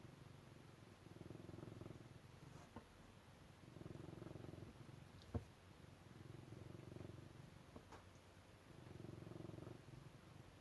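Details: Low, continuous cat purr, pulsing with each breath about every two and a half seconds, with a sharp tap near the middle and a few faint clicks.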